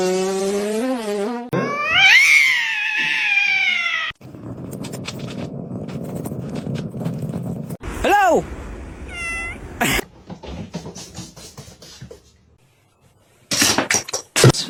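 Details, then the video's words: Domestic cat giving a long wavering meow, then a loud, strained, high-pitched drawn-out cry, followed by rustling noise, a brief sharp squeak and scattered clicks, in short cut-together scenes. "kitten meowing crying"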